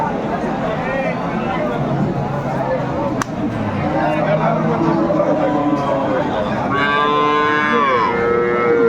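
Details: Improved-breed dairy cow with calf at the Aftabganj market, Dinajpur, giving a loud sliding moo near the end after several seconds of crowded market voices and noise.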